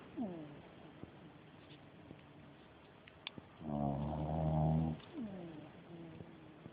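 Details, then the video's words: Dog snoring loudly while napping: one long rough harmonic snore around the middle, with softer short descending snuffles before and after, in a quiet room. "perro roncando fuerte"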